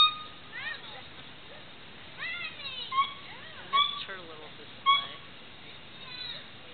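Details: Black male gibbon calling as the only vocalizing animal: a run of short rising and falling whistled hoots, several sweeping upward quickly, with brief loud peaks spaced about a second apart.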